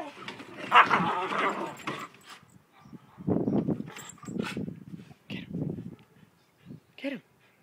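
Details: Two dogs, an Alaskan Malamute and a Malamute cross, fight, snarling and growling in rough, rumbling bursts, ending with a short high whine.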